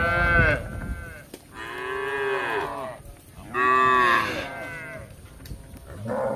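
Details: Village cattle, tame and wandering in search of grass, let out two drawn-out moos about a second long each, the first rising then falling, separated by a quiet pause with low rumbling background.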